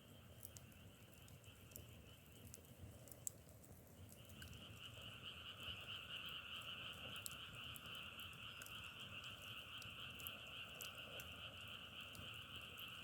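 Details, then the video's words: Frogs in a dense, unbroken chorus of high trilling tones that jumps in loudness around the fourth second and then holds steady, with scattered sharp crackling clicks over a low rumble. "자연의소리 장작타는소리=개구리소리"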